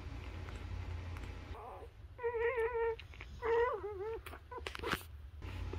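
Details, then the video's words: Nursing newborn Labrador Retriever puppies let out drawn, wavering squeals with rich harmonics, two long cries near the middle and a few clicks and soft squeaks after, over a low background hum. "Cutest Newborn Baby Puppies Nursing On Mommy's Dog Nipples | Newborn Labrador Puppies"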